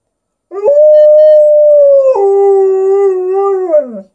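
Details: Talking with its owner, an Alaskan Malamute gives a long, clean howl, a flat sustained note that drops abruptly to a lower pitch midway, sways slightly, then slides down at the end; quiet background.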